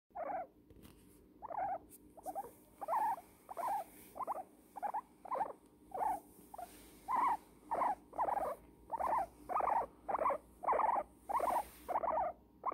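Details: Pumpernickle, an old female guinea pig, squeaks while enjoying a cuddle in a blanket: a steady run of short, bright squeaks, about two per second, rising and falling in pitch, with a soft rustle beneath.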